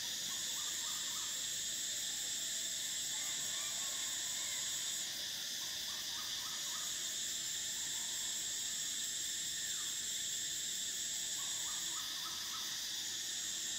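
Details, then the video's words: Cicadas singing in summer, a dense unbroken high whine that shifts slightly in pitch twice. Beneath it, clusters of small repeated chirps sound in short bursts every few seconds. "Cicadas: the sound of summer"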